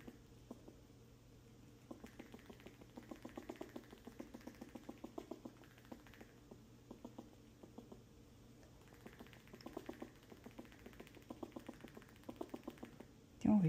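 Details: A female squirrel gives rapid, clicking alarm chatter in repeated bursts, protecting her home and scaring off an intruding squirrel.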